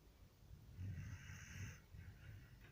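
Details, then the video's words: Sleeping dog snoring: low rumbling breaths with a raspy, hissing band on the drawn-out inhalation, two main snores across the few seconds. "Пес храпит"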